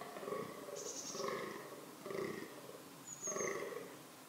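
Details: Fallow deer (Dama dama) in a reproductive setting makes four hoarse groans roughly a second apart. Faint high whistles sound above them.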